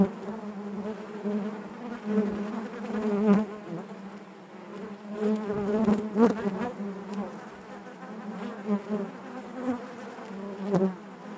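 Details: Busy hive of honey bees giving an unbroken low buzz, swelling and easing in waves, with frequent close wingbeat whines rising briefly above the collective hum.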